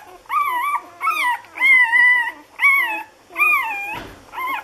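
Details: Six-day-old Lagotto Romagnolo puppies, A litter, Hamburg: drawn-out whining squeals with flat or gently rising tones, roughly one per second, and a brief soft thump near the end.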